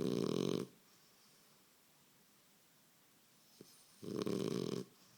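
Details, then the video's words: French Bulldog sleeping and snoring indoors; two loud, rasping low snores, each under a second long, separated by about three seconds of quiet with a faint click in between. "bouldogue francais qui ronfle"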